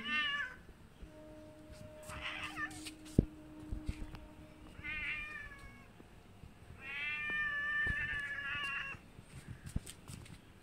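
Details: Kittens and a big visiting cat that comes to the house for food, indoors: four clear harmonic meows, the first three short and spaced about two seconds apart, the last a drawn-out wavering meow lasting nearly two seconds, with light tapping and room noise.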